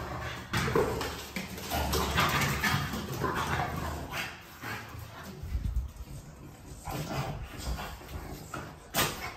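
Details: French Bulldog making short, irregular yaps and whiny whimpers, with gruff snorts between them. A louder burst comes near the start and another near the end, with scuffling handling noise throughout.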